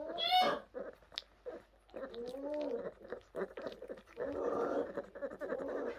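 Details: Young orphaned brown bears rescued by the Orphan Bear Rescue Centre in 2023 give a sharp squeal, then bending, whiny wavering cries and a long, uneven, rough whimpering stretch.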